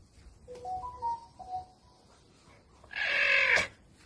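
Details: Caracal Adolf, without his collar, gives a sudden loud raspy hiss-growl of about half a second. Faint high whistling tones come first, and a woman's Russian voice follows, remarking how fierce he sounds.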